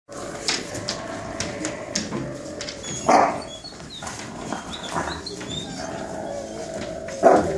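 A husky gives short, sharp vocal bursts while correcting its pups.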